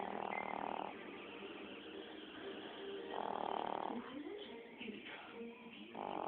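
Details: A Chihuahua asleep, its snores coming as hoarse, buzzy breaths roughly every three seconds, with low murmuring in the room between them.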